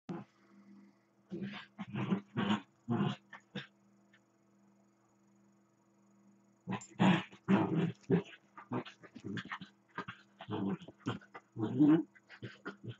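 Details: Two pet dachshunds at play, one lying still while the other runs around him growling, barking and grumbling; dense bursts of rough growls and yaps in two spells, separated by a quiet gap with a steady low hum.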